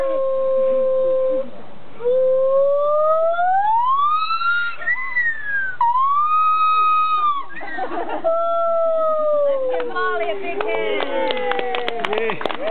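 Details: Two zoo gibbons at Magnetic Hill Zoo calling before a crowd: long pure whistled notes glide steadily upward, then drop and rise again, ending in a rough, noisy flurry of sharp clicking sounds.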